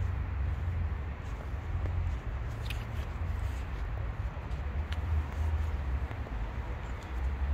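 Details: Low continuous purring from a stray tabby cat on the street, a deep throbbing drone broken by brief pauses every couple of seconds, with faint clicks and outdoor hum behind it.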